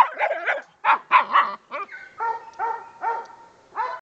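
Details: Dog on its first squirrel hunt: a few quick excited barks, then drawn-out, steady, whining tones that rise at the start, repeated about every half second.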